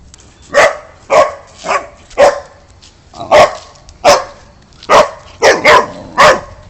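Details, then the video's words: A Boxer dog barks about ten times in an uneven rhythm, single barks often half a second apart, then a closer pair near the end, over a faint constant hiss. "LATIDOS DO CACHORRO BOXER"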